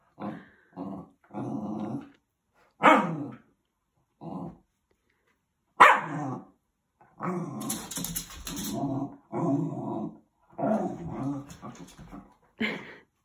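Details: Dogs playfighting, trading a run of short rough growls and snarls in bursts, with a couple of sharper barks and a brief person's exclamation near the middle.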